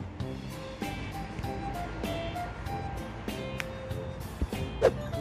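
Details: Light background music with a steady beat and plucked melodic notes, plus a faint low rumble.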